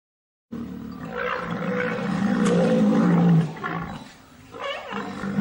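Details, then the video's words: A rhinoceros gives a deep, rough, rumbling bellow lasting about three seconds, followed by quieter grunting. "Som de rinoceronte 🦏 Rhino sound"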